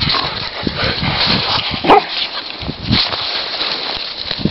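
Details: Golden Retriever puppy Jolly playing with his friend Kasey, recorded 2/9/10: a short sharp bark-like yip near the middle among soft grunting huffs and scuffling play noise, with steady broadband rustle throughout.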